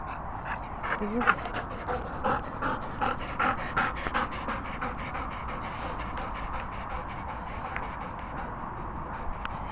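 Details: Labrador Retriever at a fully licensed dog training and boarding kennels in the Worcestershire countryside, panting in quick breathy bursts about two to three per second, steady through the clip, while a person speaks briefly.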